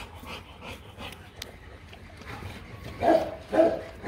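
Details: Rottweilers Marvin Gervi and Kacyno Gervi, a male and female pair in Hanoi, Vietnam, during mating as the male courts the female; two short tonal whines near the end follow softer, fainter whimpers over a scratchy, rustling background.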